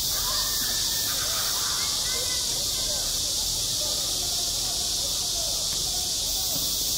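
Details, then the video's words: Summer cicada chorus at a school playground, a continuous shrill buzzing wash without breaks, with soft, indistinct voices faintly audible in the background. "한 여름 운동장에서 매미가 울고 있다 - 여름의 소리, 학교 종소리, 매미 울음소리"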